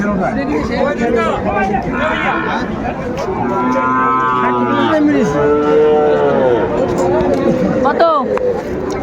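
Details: Sahiwal bull calf at a cattle market in Kurigram, Bangladesh, 21 February 2025; loud drawn-out harmonic moos, one sliding downward near the middle, over crowd chatter and bargaining voices.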